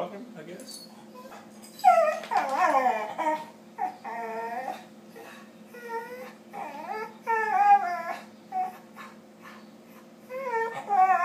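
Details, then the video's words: Deaf rescue Staffordshire Bull Terriers communicating with each other, a run of high whining, yodelling moans and yips that rise and fall, bursts coming every second or so, with a steady low hum underneath. "Rescue dogs communicating with each other"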